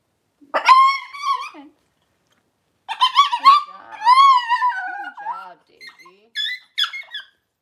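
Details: Cavalier King Charles Spaniel litter being born, six puppies delivered by Daisy within two hours: loud, bright harmonic squeals and wavering whines, one short burst followed by a longer run of rising and falling cries, then several brief squeaks.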